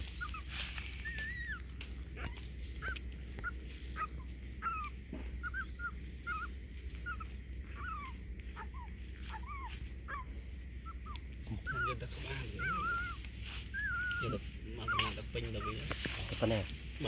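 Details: Puppies being fed give a steady run of thin, high whimpers, short downward-sliding whines repeated about twice a second, growing denser and more overlapping toward the end, over rustling, clicks and low background hum.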